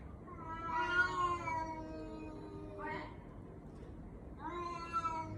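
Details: Domestic cat meowing in a way that sounds like a human baby: three drawn-out, wavering harmonic meows, the first about a second long, a short one after a pause, then another rising and falling cry near the end.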